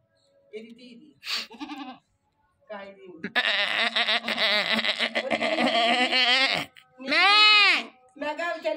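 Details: A goat just brought home keeps calling: a long, harsh, quavering bleat over three seconds, then a shorter arched bleat rising and falling, with people talking and laughing nearby.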